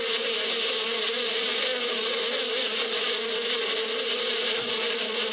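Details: Spring bees humming in the desert badia, a dense continuous drone from many insects, even in loudness throughout, its low steady tone layered with a hissing upper wash and one faint click near the end.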